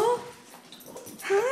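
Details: Pet dog greeting its owner arriving home: two high, rising whined notes with clear overtones, separated by a short quiet gap with faint background rustle.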